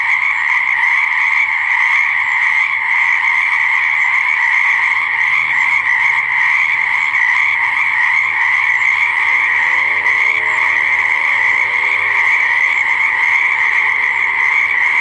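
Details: Many frogs croaking by a pond or swamp form a steady, ringing wall of sound, while fainter, lower wavering tones slide underneath toward the end.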